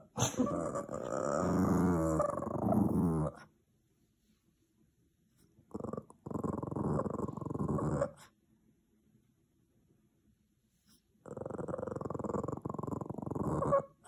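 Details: Tired, angry Boston Terrier growling, mad at neighbours making noise: three long, rough, rumbling growls of about two to three seconds each, separated by near-silent pauses.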